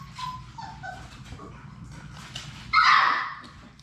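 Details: Labrador Retriever puppies, one of Sadie's litter of six, at play in their puppy play room; soft whimpers early on, then a sudden loud high yelp near the end over a background of scuffling and low hum.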